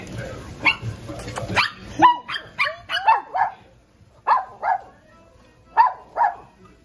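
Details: Morkie Poo puppies barking indoors: about eleven high, sharp yaps with quickly falling tails, mostly in quick pairs with short pauses between, after some rustling and handling noise at the start.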